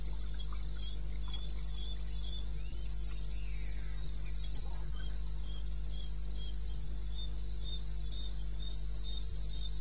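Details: Cricket calling in the wilderness of eastern Botswana, recorded at 2:30 am on 21 May 2016: a high, steady chirp pulsing about four times a second over a constant low hum, with a few faint other insect notes.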